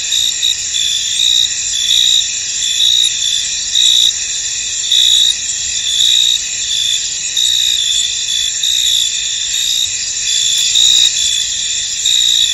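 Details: Crickets fill a foggy field with a high, unbroken trilling, louder chirping pulses returning at a steady pace throughout, dense insect background.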